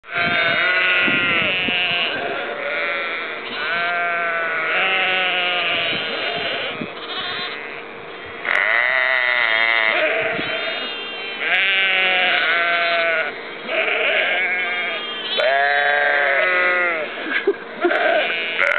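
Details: Sheep and lambs in Ullapool in April 2009, bleating almost without pause: overlapping wavering baas of varied pitch from several animals, some higher and thinner, others deeper, in long runs with brief gaps.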